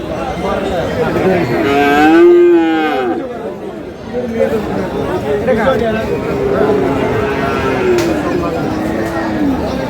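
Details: Cattle, Friesian and crossbred bull calves, at the Aftabganj market in Dinajpur, Bangladesh, on 22 August; a loud drawn-out moo near two seconds, then fainter lowing amid crowd chatter and men talking.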